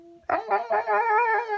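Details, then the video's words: Two Siberian Huskies coaxed into singing indoors; one gives a wavering, drawn-out howl that starts in short pulses and then holds steady. "Siberian Husky Singing Lessons"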